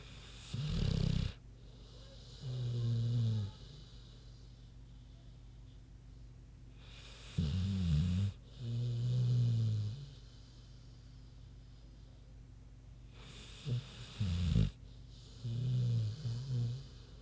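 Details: Big sleeping pig named Queenie snoring steadily: each breath cycle begins with a harsh, noisy rush of air, followed by a low, rumbling grunt-like snore, repeating roughly every six to seven seconds in a quiet room.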